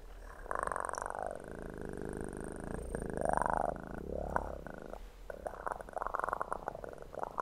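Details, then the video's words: Purring kitten: a continuous deep vibrating hum with a close, resonant tone. Soft handling and brushing noises come and go above it. "ASMR kitten purr"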